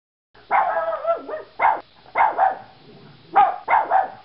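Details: Yorkshire Terrier barking indoors: sharp, high yapping barks in quick pairs and triplets, separated by brief pauses, with a longer whining yelp at the start; no other sounds.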